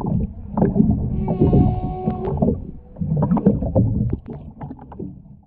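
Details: Singing humpback whale underwater off the Ogasawara Islands on 23 February 2021, alongside a mother-calf pair and escort; a held tonal note with harmonics, then rumbling groans and pulses fading out, over crackling water noise.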